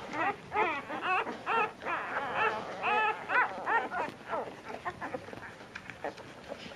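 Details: Nursing puppies jostling for their mother at dinner time, two of them the runts of the litter; bursts of rising-falling squeaky whines in quick succession, thinning out toward the end into fainter scattered squeaks.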